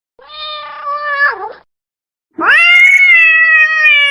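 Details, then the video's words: Domestic cat calling to attract another cat: a level meow bending down at its end, then after a short gap a loud, long, steady wailing meow; quiet background. "Cat sound to attract cat | Suara Kucing jantan | Katzengeräusch | son de chat | som de gato"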